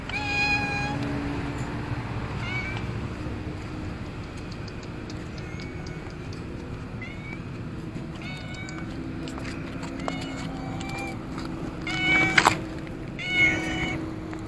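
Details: Orange-and-white stray cat outside a row of shops, meowing while waiting for someone to feed it; high, clear meows come every one to two seconds, some rising, over a steady low background hum.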